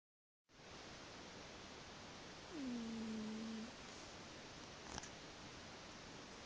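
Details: A sleeping pet cat lets out a single whistling snore, a low tone sliding gently downward for about a second, over a steady background hiss.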